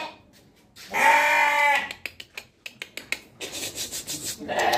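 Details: Sheep giving one long, quavering bleat lasting nearly a second, followed by a string of sharp clicking and rustling knocks and the start of another bleat at the end.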